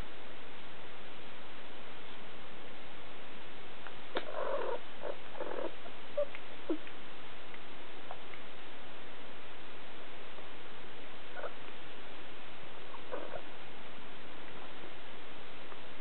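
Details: Three-week-old Siberian kittens, recorded July 2008, giving several short high mewing cries clustered around the middle, then a few fainter ones later, over a steady hiss.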